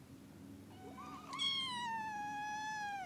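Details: Kitten indoors in the early morning: a short rising chirp, then a long clear high meow that slowly falls in pitch and fades over about two seconds, over a low steady hum.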